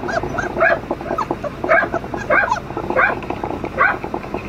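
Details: Flat-coated Retriever puppies, a brother and sister, give short high yelping whines about every three-quarters of a second. Each one is a quick rising-and-falling squeal, with softer whimpers in between.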